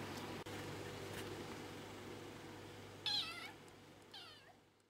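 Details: Kittens play fighting in July 2015, two brief high meows about a second apart, the first wavering, the second sliding downward, over a steady low hum in a quiet room.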